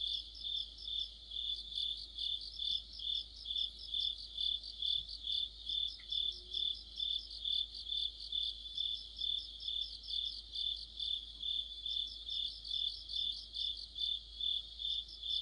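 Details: Autumn cricket chorus under a streetlamp: dense high-pitched trilling with steady pulsed chirps about twice a second, many insects overlapping, a brief faint click midway.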